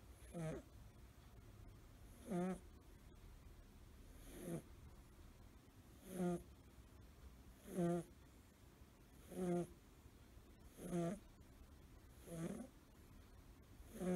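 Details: Male American Shorthair kitten, blue tabby, five months old, asleep curled up; snores only in that position, not when stretched out. Soft rhythmic snores roughly every one and a half to two seconds, each a short low rasping breath, quiet background.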